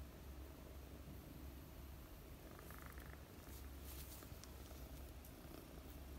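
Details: Mooni, a four-month-old female British Longhair kitten, purrs while being petted and sleeping; a steady, deep, low rumbling purr runs throughout, with brief soft rustling near the middle.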